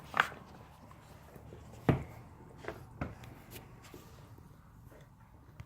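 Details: Quiet indoor room with a few soft knocks and shuffling sounds, brief clicks near the start and middle, no animal voice heard.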